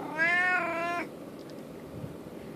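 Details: Domestic cat, described as a talking cat, meowing to ask for treats indoors: one long, clear, harmonic meow lasting nearly a second, steady and then slightly falling, in a quiet room with faint background hiss.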